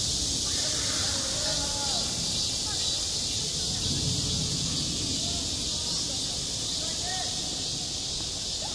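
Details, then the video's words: Cicadas droning at a school playground in midsummer: a continuous high-pitched hiss-like buzz, with soft distant voices and low outdoor rumble underneath. "한 여름 운동장에서 매미가 울고 있다 - 여름의 소리, 학교 종소리, 매미 울음소리"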